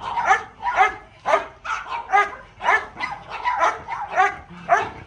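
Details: Playful little dog barking in a brisk, fairly regular series of high, bright yaps, close to two per second, each short and clipped.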